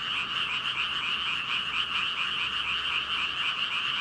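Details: A massed chorus of some 5,000 frogs, captured on a Rode VideoMicro, forms a steady, thick blanket of rapid overlapping croaks, high and rasping, without pauses across the four seconds.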